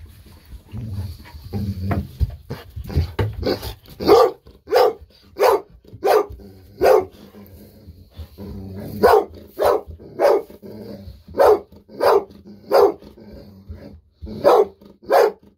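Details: Golden Retriever Bis at home barking over and over in excitement for a fish-sausage treat; after some low scuffling, loud sharp barks follow at roughly two-thirds-second intervals, about fifteen of them.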